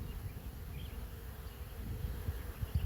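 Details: Swarm of honey bees out of an apiary hive settling on a branch, many still in the air: continuous low buzzing drone, rough and pulsing, with a faint higher hum.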